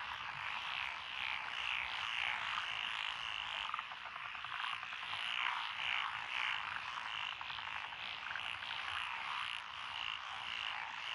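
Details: Dense chorus of several frog species, including Japanese tree frogs, pond frogs, wrinkled frogs, Schlegel's green tree frogs and forest green tree frogs, in lotus rice paddies beside a country road in Echizen, Fukui, Japan, June 2021; overlapping rapid croaks.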